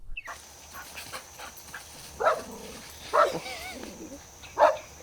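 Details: Dogs playing together on a green grassy meadow, running and chasing; three short, sharp barks ring out, spaced about a second apart, with a quiet gap before the first.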